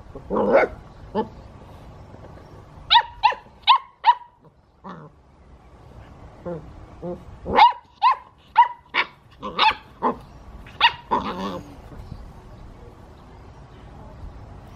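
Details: Eight-week-old English Pointer puppy yapping in quick high barks, a soft whine early on, then a run of repeated sharp yips through the middle and a rougher growly bark toward the end.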